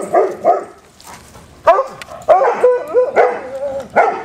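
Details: Several hounds at play, giving loud bouncing barks and yelps in short clusters, with a brief lull in the middle before the barking resumes in quick, overlapping bursts.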